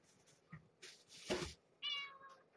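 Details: Domestic cat, a mother kept with her kittens in a cage, at dinner time before bed: one short, clear, tonal meow near the end, after scattered soft bumps and rustles indoors.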